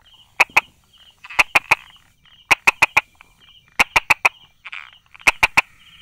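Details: Brauer's tree frog tucked between stones and grass, recorded 22 July 2016 at 10:44: loud hard clicks grouped in runs of two to four, each burst roughly a second apart, over a faint continuous high trill.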